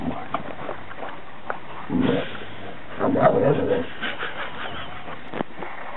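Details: An American Bulldog named Jake and a young Scottish Deerhound named Fae make friends at their first meeting. Two short, raspy growl-like bursts are set a second apart, with faint voices and handling noise around them.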